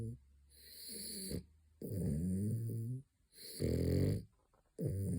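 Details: French Bulldog snoring during his third midday nap, a pet dog indoors: low rumbling, harmonic snores about a second long, separated by short quiet gaps, with faint high hiss bands above.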